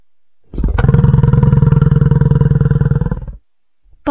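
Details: Bison roaring: one long, deep, rough bellow lasting about three seconds, made of rapid low throbbing pulses, followed by silence and a brief unrelated sound at the very end.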